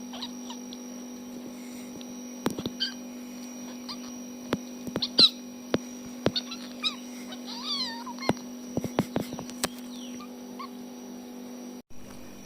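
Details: A tiny fluffy kitten, while fighting, gives brief high, wavering squeaks and mews amid soft thumps and a steady electrical hum.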